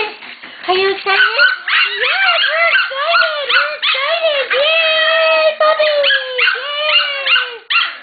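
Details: Playful Shetland Sheepdog puppies from a litter about to leave for new homes give an unbroken stream of rising-and-falling harmonic whines and yelping yips, roughly two to three per second, with a woman's voice cooing excitedly beneath.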